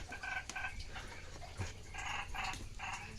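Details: Frogs heard during a late-night frog and narrow-mouthed frog hunt: short buzzy, rasping croaks in bursts of about a third of a second, repeated irregularly, faint against low background rumble.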